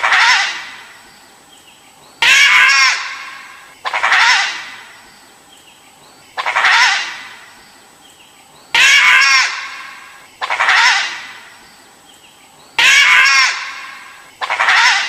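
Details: Dhole (Asiatic wild dog) producing a run of harsh, wavering, screech-like calls, about eight in fifteen seconds. Each is abrupt at onset and fades out, with a quiet background between calls.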